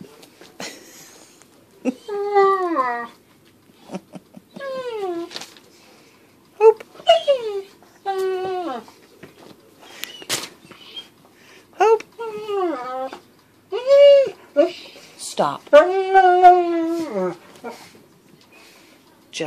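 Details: Pet dog whining indoors out of jealousy while its owners play with a squirrel: a run of high, drawn-out whines, each sliding downward with strong overtones, separated by short gaps, with human voices mixed in.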